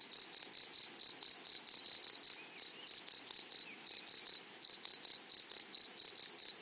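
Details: Grasshoppers in a flowery meadow: high, dry buzzy chirps in rapid bursts, grouped in quick rhythmic runs of about five pulses with short gaps, steady throughout, no other clear sounds.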